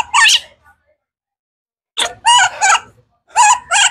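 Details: Baby monkey Kaka, hungry for fruit, gives a quick scream, falls silent, then lets out two groups of two piercing, quavering cries.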